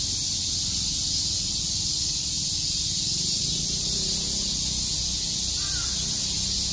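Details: Many cicadas chirping on a summer day in Shakujii Park, Tokyo: an unbroken, shrill, hissing drone holding steady throughout, with a low background rumble and one brief faint whistle near the end.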